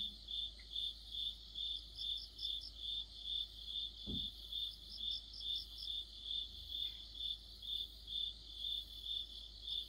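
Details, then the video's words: Crickets in mid-autumn, near a streetlamp, chirp in a steady, high-pitched pulsing chorus, each trill repeating a little over twice a second. "가을의 한 복판 곤충들의 합창"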